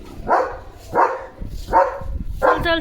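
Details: German Shepherd Leo barks at passing sheep in front of the gate: four harsh barks spaced roughly 0.7 seconds apart, with faint voices and background noise between them.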